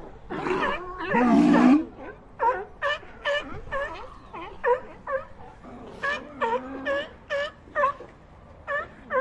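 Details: Sea lions calling in a series of short harsh barks with harmonic upsweeps, a louder roaring bellow near the start, then barks spaced about half a second apart.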